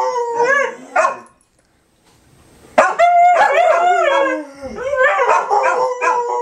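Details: Fourth of July 2012, dogs reacting to fireworks: a couple of short howls and a bark, a silent gap, then a loud burst of several overlapping wailing howls that rise and waver before trailing off.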